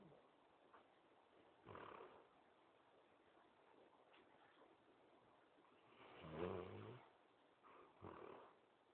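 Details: Basset hound snoring softly: slow breaths with a few louder, rough snorts around two, six and eight seconds, otherwise quiet hiss.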